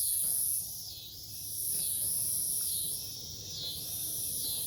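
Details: In Omaha, Nebraska, on 08 03 2021, cicadas call at night in farmland forest. Intense high buzzing pulses in repeated swells, while a second, lower buzz arcs up and down in rhythm beneath it.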